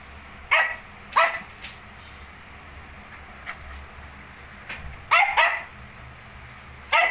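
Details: Sharp, high barks from a Shih Tzu with 19-day-old puppies: a pair early on, a quiet stretch, then a tight double bark and a final yap at the end.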